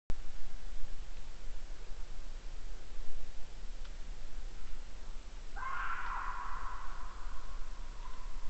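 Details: A fox recorded by a badger camera in Estonia on 9 April 2016 gives one harsh, raspy call that trails off, over steady low rumbling background noise.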